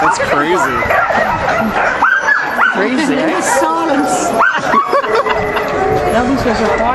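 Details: A crowd of eager huskies in Caribou Crossing, Yukon, recorded 15 May 2013, keeps up overlapping whimpers, sharp yips and drawn-out wavering whines, several voices sliding up and down together without pause.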